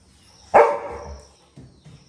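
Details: Little John, a Labrador retriever puppy, relaxing early morning with his grandmother at a village home, gives one sharp loud bark that fades over half a second, followed by faint softer sounds and a steady background whine.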